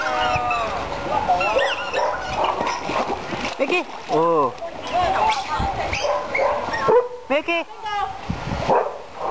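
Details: Bull terrier named Milky giving short arched, harmonic yelps and whimpers, the clearest near the middle and again toward the end, over steady human talking and some clapping.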